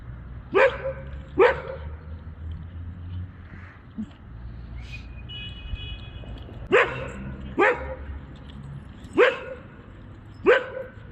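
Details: Labrador retriever playing at night in Bogotá: sharp, loud barks in quick pairs, about three pairs spread over eleven seconds, against a low background hum with a brief faint electronic beeping.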